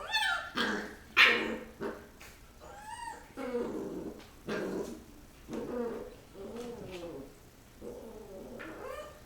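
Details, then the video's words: Rottweiler puppies play-fighting after eating, giving a run of short yips and squeaky growling whines, some rising and falling in pitch, bursts coming every second or so with brief pauses between. "Rottweiler Puppies Fighting"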